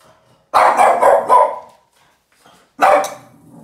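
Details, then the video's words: Angry Boston terrier named Yoda barks at a trash can, firing three fast, harsh barks in a row, falling silent for about a second, then letting out a single loud bark. "Yoda the Boston terrier angry and barking at the trash can"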